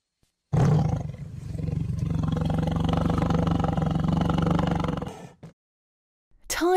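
A tiger gives a long, deep, rumbling roar that holds steady for about four and a half seconds, then a voice briefly speaks.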